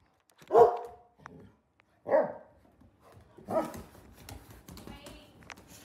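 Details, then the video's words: A Labrador Retriever giving three loud, deep barks spaced about a second and a half apart, then quieter rustling noise. "Powerful labrador bark"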